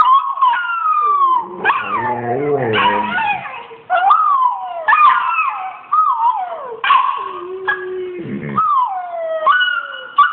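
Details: Australian Shepherd responding to a Rottweiler puppy on screen with a run of long, tremulous howls and whines, rising then sliding down, mixed with a few rough, growly cries and short yips.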